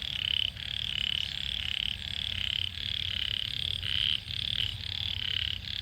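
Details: Khiat frogs chorus from a rice field in Sisaket, Thailand, after a heavy morning rain. Dense, high-pitched croaks are pulsed and buzzy, repeating rapidly in overlapping bursts roughly every half second, over a steady low background hum.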